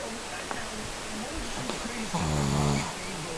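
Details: A sleeping Shih Tzu gives a single raspy, buzzy snore lasting under a second near the end, with a noisy hiss and faint murmuring voices in the background.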